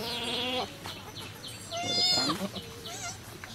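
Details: Goat bleating during a birth at a cow farm: a loud, strongly harmonic, wavering bleat for about half a second, then a second rising-and-falling bleat near the two-second mark, with fainter cries between.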